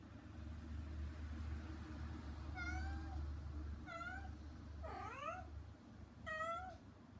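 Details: Shut out while her kittens eat weaning food beyond frosted glass, mother cat Hana calls to them with four clear harmonic meows, some falling, some rising then falling, over a low rumbling background.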